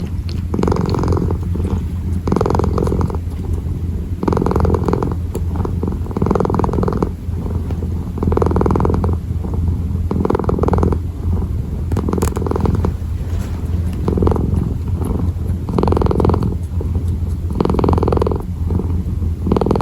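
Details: Close, continuous purring of a kitten kneading: deep steady drone with regular rhythmic bursts of breath noise roughly every second, marking each inhale and exhale.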